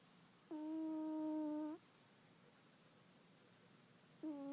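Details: A cat snoring indoors in a small room: a steady, whistle-like tonal drone held for a little over a second, then a quiet pause before the next breath begins at the end.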